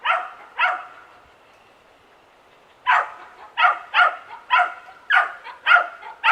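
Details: A young dachshund barks in a suburban backyard: two barks, a couple of seconds of near quiet, then a fast, steady string of loud, sharp barks to the end.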